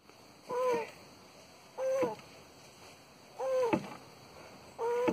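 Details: Tortoise mating in Porto Alegre, Brazil, January 2021: four short, nasal, squeaky calls with a wavering tone, each about half a second long, repeated roughly every one and a half seconds over a quiet hiss.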